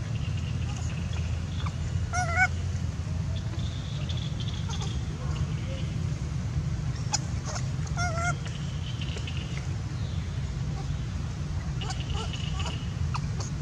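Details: Baby monkey Sweet Pea cries loudly, angry because his mother won't let him get milk; several short, shrill, wavering screams over a constant low rumbling hum.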